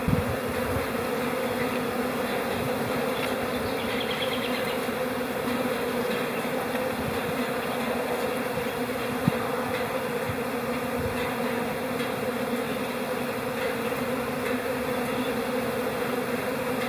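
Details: Spring honey bee colony at rest in April, producing a smooth, constant buzz with deep steady tones and a single sharp click midway.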